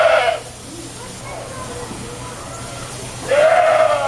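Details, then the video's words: A goat protesting at being washed gives two loud, hoarse, quavering bleats at the start and end, separated by a quiet stretch of rustling and faint voices. "Washing an angry goat"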